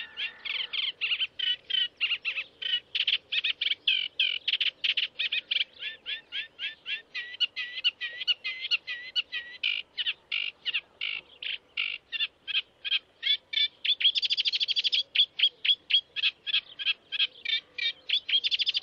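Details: A family of stoats at Leighton Moss on an early morning in June 2009 gives a rapid, steady run of thin, high-pitched squeaks and chirps.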